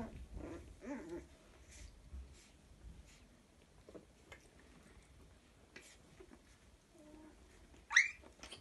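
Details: A litter of toy Chihuahua puppies, two males and one female, play together with soft whines and small growls, and one sharp high yelp near the end.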